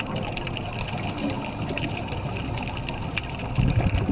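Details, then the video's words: Underwater on a healthy reef in Komodo National Park, Indonesia, in May, a dense crackle of snapping pistol shrimp mixes with parrotfish scraping algae and urchins moving their spines, over a low rumble. "This is the sound of pistol shrimp, of parrotfish scraping algae, and of urchins moving their spines."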